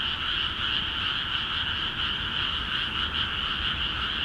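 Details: In Akiha Ward's flooded rice paddies, a crowd of frogs keeps up lively calling: dense overlapping trills, high and buzzy, pulsing gently with no break.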